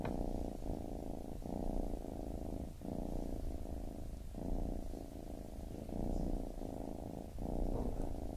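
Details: Low rumbling purr from a baby kitten, rising and falling with breathing in cycles of about one and a half seconds, otherwise quiet.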